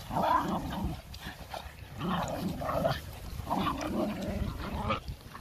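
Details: Four pet Boston Terriers, including puppies, at play: loud, rough growl-yips in repeated bursts roughly every second, each with a grating, buzzy tone and rising and falling pitch.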